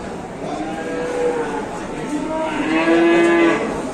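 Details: Cattle being unloaded at a market in Indonesia, a large bull drawing a crowd; a long, drawn-out moo with stacked harmonics that swells louder toward the end, over steady crowd murmur.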